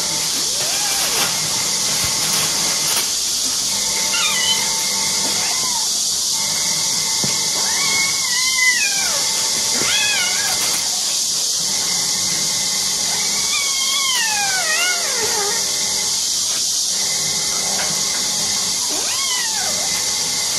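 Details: Two kittens playing on their owner's sofa, jumping up and down; a few high, falling meows in short bursts spread across the stretch, with some calls sliding downward in pitch, all over a steady loud hiss.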